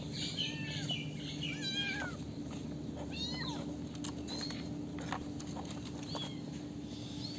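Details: Several kittens meowing: overlapping thin, high mews, some rising and some falling, repeated throughout over a steady low hum and constant background noise.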